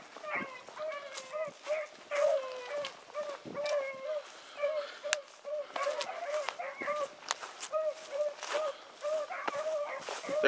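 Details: Dog pups Sassy and Magnum in training with Ringo and Boone: a continuous chorus of short, overlapping howls and bawls from several dogs, punctuated by sharp clicks and rustling throughout.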